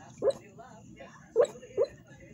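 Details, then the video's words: Female Staffordshire Bull Terrier barking in her sleep: three short, muffled, soft woofs, the first alone and the last two close together, over a quiet indoor background. "Staffordshire Bull Terrier barking in her sleep"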